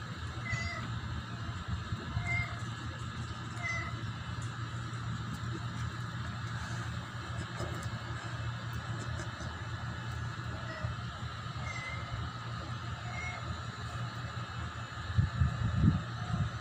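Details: Kittens kept and cared for at home: short, high, thin mews repeat every second or two throughout, over a steady low hum, with a brief louder rumbling noise near the end.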